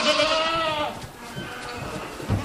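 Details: Domestic goat from a herd of about 75 at Island Hill Farm on Prince Edward Island, talking to visitors: one long wavering harmonic bleat lasting nearly a second, then quieter farm background with faint rustling.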